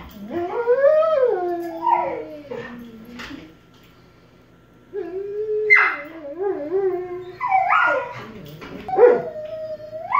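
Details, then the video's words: Gordon Setter and Dalmatian, two dogs upset that their owner is outside, give long wavering howls that rise and fall, then a quiet pause before more sliding whimpers and sharp yelping cries. "Gordon Setter and Dalmatian upset owner is outside."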